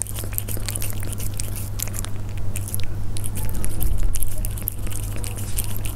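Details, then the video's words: Persian cats chewing food at close range, with rapid crackling bites that swell in loudness toward the middle and then ease off, over a steady low hum. "Cats up close The sound of Persian cats when they eat"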